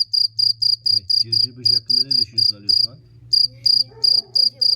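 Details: A cricket gives loud, piercing chirps about four times a second, falls silent for a moment, then resumes. A voice speaks briefly in the background over a low hum.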